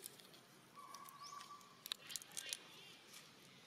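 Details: Young monkey Eden gives a short cry again while Grandma Elsa keeps training her, wild monkeys around Angkor Wat; a thin steady whistled tone held about a second, with a brief rising sweep and faint clicks after.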